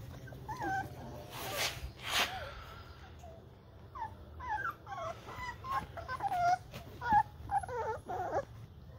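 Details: American Bully puppies three and a half weeks old, eleven in a litter with the father present, giving high thin whimpers and squeaky rising-falling whines scattered through the clip over a low steady hum and some handling noise.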